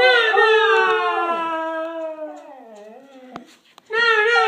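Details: Corgi prompted to howl by repeated no, singing a drawn-out harmonic howl that slowly falls and wavers, fades briefly, then resumes loudly at the end; indoor room.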